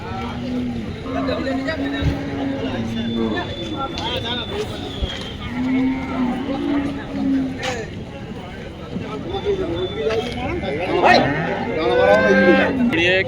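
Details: Cattle at the Dhaniakhali cattle market, held every Friday; low drawn-out moos rise now and then through steady crowd chatter and voices, with a louder arched bellow near the end.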